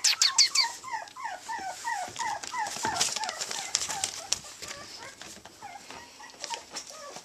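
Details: Three small teacup Chihuahua pups playing in Houston, Texas, produce a fast run of repeated high whimpers, each sliding downward, about three per second, fading into scattered squeaks amid clatter and rustling.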